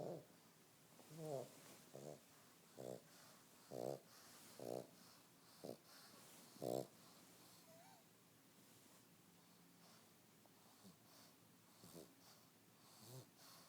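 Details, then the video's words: Lazy fat pug snoring in its sleep, rattling buzzy snorts roughly every second for the first seven seconds, then quieter wheezy breathing with a faint whine. "Lazy fat snoring pug"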